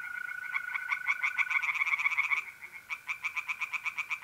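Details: Pond at night in north-east Italy, mid-April: tree frogs sing in quick pulsed bursts, two callers overlapping loudly before one continues alone with evenly spaced croaks, mole crickets trilling steadily behind.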